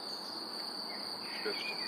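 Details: Crickets give a steady, high, ringing trill that runs without a break, heard by day high in the mountains on arrival at Vaduz Castle, Liechtenstein.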